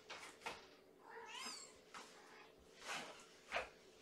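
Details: A hungry kitten, one of a litter of five born April 14, cries in a kennel at bedtime feeding on 4 May 2018. Repeated loud, high meows sound about once a second, one wavering and rising, over faint room hum.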